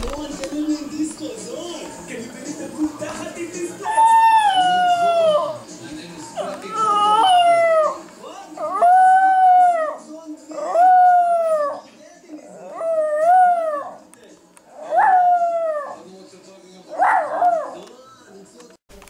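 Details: Pet dog howling because he misses the owner's mother. He gives about seven drawn-out howls, each rising and then sliding down, every two to three seconds. A film plays in the background with voices and music.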